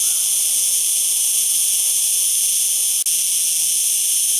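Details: Cicada singing: a continuous, steady, shrill buzz with layered high bands, unbroken except for a brief dip near the three-second mark.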